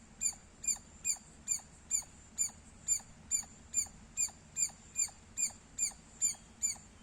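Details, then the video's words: A squirrel chirps loudly and persistently, about seventeen sharp, high, squeaky notes in a regular rhythm of roughly two per second over a quiet background. "Loud Squirrel Sounds -squirrel chirping Sounds Loud"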